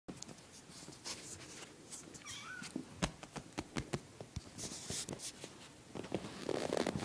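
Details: Five kittens brought indoors, hanging around: one faint, short wavering meow near two seconds amid frequent clicks, rustling and handling noises in a small room.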